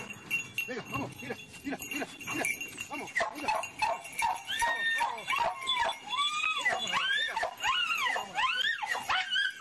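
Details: Jagdterrier giving a rapid series of high, arching yelps that come faster and more tonal toward the end, several per second at times, with a man calling out in Spanish in the background.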